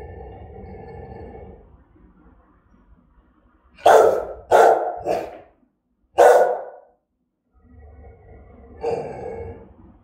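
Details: German-type Rottweiler in Vietnam barking threateningly and aggressively: four deep, harsh barks in quick succession mid-clip, framed by low, rumbling growl-like sounds before and after.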